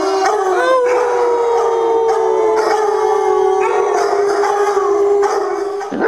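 A Basset Hound lets out a long, mournful howl that holds steady and slowly sinks in pitch.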